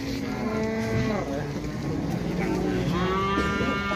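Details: {'text': 'A big jumbo cow gives a resonant, harmonic-rich moo that bends downward, then a second long, even low moo follows after a pause, with crowd murmur behind.'}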